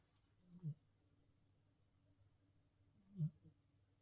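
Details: Fat Boy, a Himalayan Persian cat in New Zealand, snoring indoors: two short, low, rumbling snorts about two and a half seconds apart, over a quiet steady hum.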